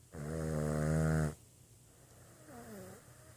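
A Boston Terrier gives a long, deep, rattling snore, then a fainter wavering breath.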